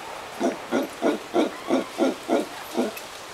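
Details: Howler monkeys at sunset in Costa Rica, giving a steady series of deep, hoarse grunts, about three per second, rough and pulsing, with no other sounds intruding.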